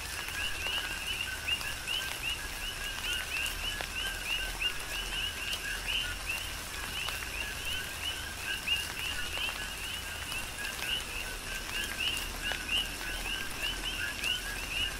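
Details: Chorus of coqui frogs on Hawaii's Big Island during tropical rain, countless brief upward-sweeping whistled chirps overlapping continuously at a steady pace, with constant rainfall hiss and sharp drips throughout.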